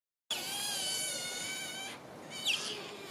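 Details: Asian small-clawed otter begging: a long high, harmonic whine held steadily for about one and a half seconds, then a short sharp squeak after a brief pause.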